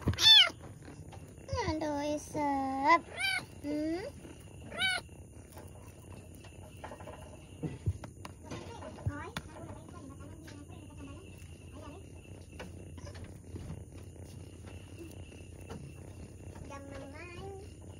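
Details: Pregnant domestic cat struggling while giving birth to two kittens: about six drawn-out, harmonic meows in the first five seconds, each swelling then sliding down, followed by a long quiet stretch with only faint murmurs and rustling.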